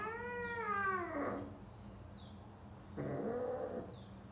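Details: A male British Shorthair cat mating with a female gives drawn-out, wavering yowls.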